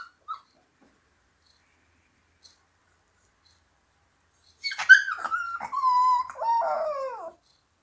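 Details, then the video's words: Siberian Husky puppies singing after a long silence: a single drawn-out, wavering whine that starts high, dips and slides lower, then ends in a falling moan. "Хасята поют."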